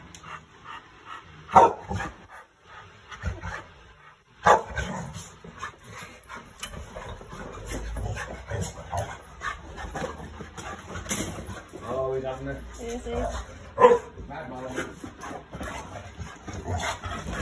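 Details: Chow Chow dog in a playful mood, ears back and ready for zoomies, giving a few loud sharp barks spaced several seconds apart, with soft yips, whimpers and shuffling noises between them.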